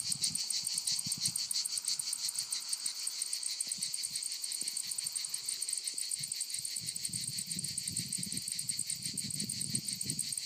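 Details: Provence lavender fields in France, where cicadas keep up a loud continuous buzz, high and shimmering, throbbing in fast regular pulses; soft low thumps and faint background noise underneath.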